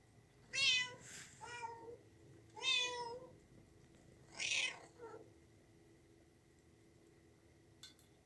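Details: Kitten calling in a rapid series of meows, some doubled with a short follow-up mew, over the first five seconds, then quiet with one faint click near the end.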